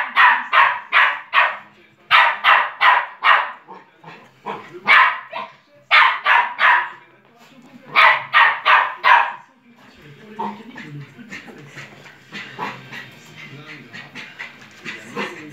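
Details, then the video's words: West Highland White Terrier indoors barking at its own reflection in the bottom of a piano: loud sharp barks in rapid bursts of three to five, then quieter mixed sounds and faint voices in the last seconds. "aboie à son reflet"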